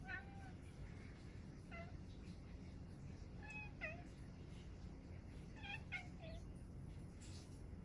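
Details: Domestic cat talking: a string of short, chirpy meows and trills, some rising then falling, spaced one to two seconds apart, over a steady low indoor hum.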